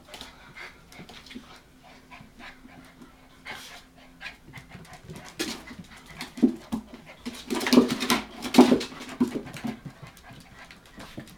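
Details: Hokkaido dog puppies, 65 days old, offspring of the dog Hana, filmed 18 February 2011. Soft, irregular breathy panting bursts, quiet at first, growing louder and denser in the second half, with scattered scuffling noises.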